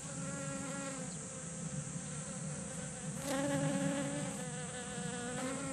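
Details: A group of honeybees visiting kumquat flowers in a garden for nectar give a steady, low, droning buzz from their wings, swelling louder as one passes close.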